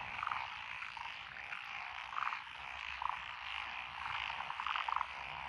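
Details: Night chorus of paddy frogs in lotus fields, Echizen, Fukui, Japan, June 2021: steady background croaking broken by short, distinct clucking notes every second or so, standing out loudly over the massed callers.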